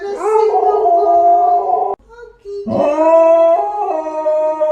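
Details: Dog in a funny pet compilation giving a sustained, tonal howl with a steady layered pitch. A short rising yelp opens it, then a brief pause comes before a second long, level howl that slightly dips at the end.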